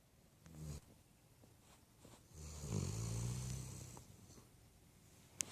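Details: Puppy asleep, giving a short faint snore, then one longer rumbling snore with a steady low buzzing tone and soft breathy hiss, ending in quiet breathing and a single click.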